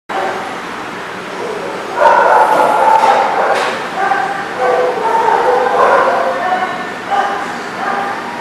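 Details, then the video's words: Dogs barking at The Barking Lot on 17 February 2020, overlapping rough barks and yips building into a dense, steady din after a quieter opening two seconds, with several voices calling at once. "The Barking Lot"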